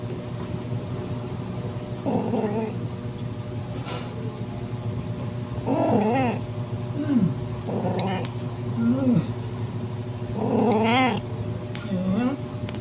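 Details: Calico-tabby cat in heat, with a newborn calico kitten found in a garage, evening, September; several drawn-out wavering meows with rising and falling pitch, repeated every one to two seconds, over a steady low hum.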